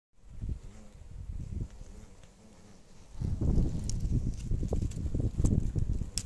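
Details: Oriental hornet, described as a threat to local beekeeping, makes a low, throbbing wing buzz that flutters unevenly, softens briefly, then swells louder and closer after about three seconds, with faint rustling.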